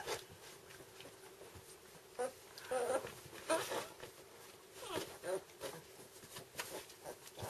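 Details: Two-week-old red standard poodle puppies, eyes newly open, make brief, reedy squeaks and soft whimpers, scattered irregularly, while a woman speaks quietly in Swedish nearby in a small room.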